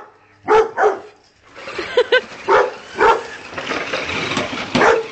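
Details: Pet Rottweiler playing with a car, giving a few sharp barks spaced apart, with steady background noise and some noise between barks.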